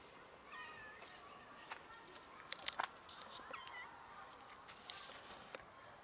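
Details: Cats from a large colony living around a dumpster, where they feed, give several short rising meows, thin and high-pitched, scattered over a few seconds against steady outdoor background noise with faint clicks and rustles.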